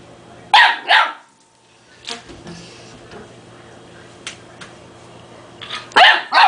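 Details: Puppy Dogue de Bordeaux, two months old, barks at a toy it fears: a quick pair of shrill yaps, a pause filled with light tapping and rustling, then another rapid double bark.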